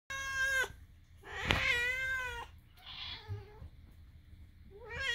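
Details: Moo, a pet cat adopted from a rescue, making his weird sounds: harmonic meows, several falling or wavering, one long drawn-out cry near the middle and a rising call at the end, with quiet pauses between.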